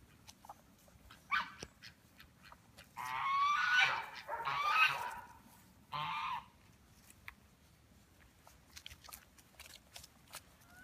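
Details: Belgian Malinois pups, five weeks old, from the 2015 litter of Helke and Hot Dog: a short squeal, then a run of overlapping wavering cries and a final brief whimper before quiet.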